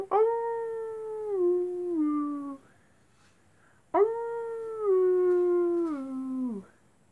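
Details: Wolves howling at night: two long mournful howls of about two and a half seconds each. Each starts steady and steps down in pitch toward its end, with a short silence between them.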